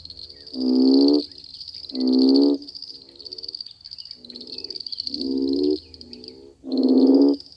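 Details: Frogs croak after summer rains in a mating frenzy, giving nasal, bleating bursts about once a second over a steady high-pitched chorus.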